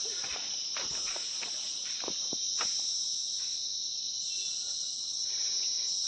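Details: Insects calling in a hill forest, heard while walking a hill road: a steady, continuous high-pitched shrill drone, pulsing slightly in strength, with soft footsteps and faint rustling clicks beneath.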